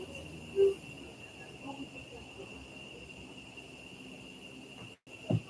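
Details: Cicadas give a steady, high, shrill drone without a break at Uvita on Costa Rica's southern Pacific coast. Here they start up again about 8 to 8:10 and stop around sunset.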